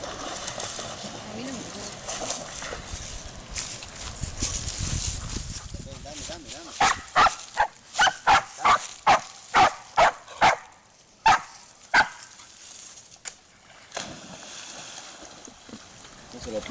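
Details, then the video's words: Spanish Water Dog named Rumbo, eager to fetch a stick thrown into water; after splashing and speech, a run of sharp, evenly spaced barks about every half second, then a few spaced barks. "Perro de aguas a por el palo al agua"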